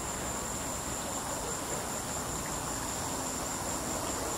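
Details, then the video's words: Cicada singing in a tree, its call a sustained shrill whine at one high pitch that never pauses, set against a thick layer of hissing noise and faint low background rumble. "cicada was going crazy"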